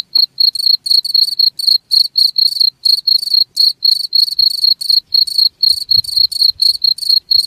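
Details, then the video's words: Cricket calling in rapid high-pitched pulses, sometimes doubled or run together, about four a second, with a soft low thump near the end. "SUARA JANGKRIK"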